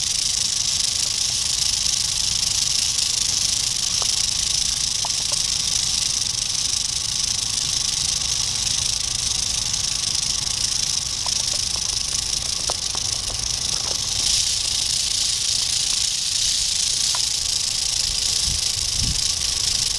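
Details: Continuous shrill, hiss-like rattling of an eastern diamondback rattlesnake, dated 8/27/11, sustained for the full twenty seconds, with scattered faint ticks and a couple of low thumps near the end.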